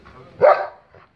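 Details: A single dog bark at a stranger, one short harsh burst in the middle of about a second, followed by a faint trailing sound; speech is heard just before and after.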